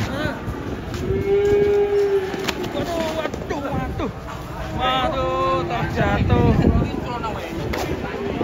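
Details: Cattle being unloaded from a truck, one of them angry; several drawn-out lowing moos rise and fall among shouting voices, trampling and background music.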